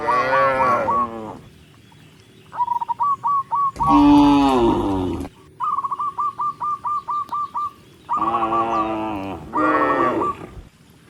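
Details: Tame cattle, tens of them, walking along a rice field road; several drawn-out, harmonic moos rise and fall, interleaved with quick repeated chirping trills from a bird in the background.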